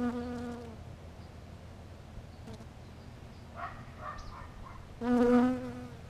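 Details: Honey bees flying close while drawn to smells, steady harmonic buzzing that fades in the first second, returns with quieter wingbeat hums around the middle, then swells loudly near the end as a bee passes close.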